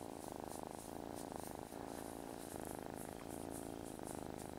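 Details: Loud, even purr of a male domestic cat indoors, described as having a good motor; a continuous low rumble pulsing gently with each breath in and out, no other clear sounds.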